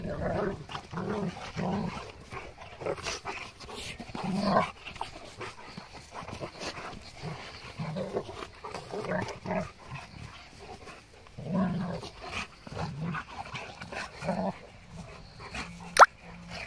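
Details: Boerboel and Kuvasz dogs chasing each other in play; low growling grunts come in short bursts through the recording amid scuffling and panting, with a sharp knock near the end.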